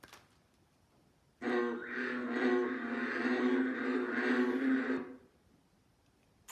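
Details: An American bullfrog in Alabama at the start of frog and toad season gives a low, growly, droning call, rumbling like an engine rather than a ribbit.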